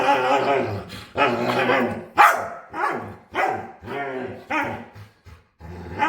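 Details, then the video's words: Dog begging to play with odd, talkative noises: repeated wavering, groaning howls of one to two seconds each, rising and falling in pitch, separated by brief pauses, with little other sound. "Cutest Dog Begs To Play"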